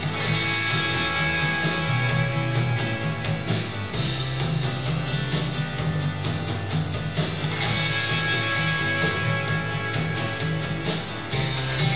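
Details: Strummed guitar music with a steady beat fills the whole stretch, with no animal voices audible.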